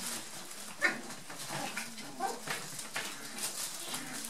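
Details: Brown and black dwarf-toy poodle puppies, nearly eight weeks old, from Sasha's second litter, playing in a tunnel indoors; a few short, squeaky yelps and whimpers amid scrabbling and rustling of play.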